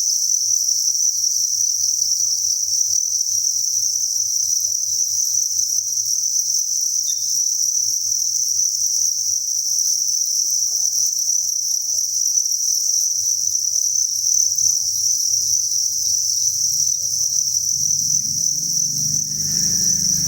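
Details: Thousands of crickets chirping together inside a cricket breeding farm, a dense, steady high-pitched shimmering trill that runs unbroken throughout, with a faint low hum beneath and some low rumbling noise near the end.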